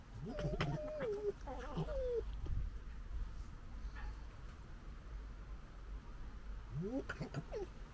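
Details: Two urban European red fox cubs in the UK gekkering, recorded on a DJI Osmo Pocket 2; whiny, wavering squeals come in bursts during the first two seconds and again near seven seconds, with quieter gaps between.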